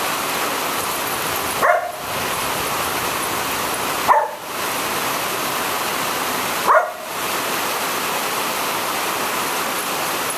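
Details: Border Collie Belle, a female who hates rain and thunder and is angry rather than afraid, gives three separate barks spaced roughly two and a half seconds apart against a continuous wash of heavy rainfall.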